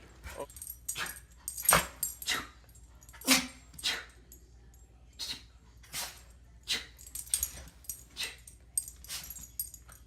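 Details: Several dogs sneezing: a run of short, sharp, hissing bursts, about a dozen in ten seconds, some in quick pairs and others spaced a second or more apart, with quiet pauses between.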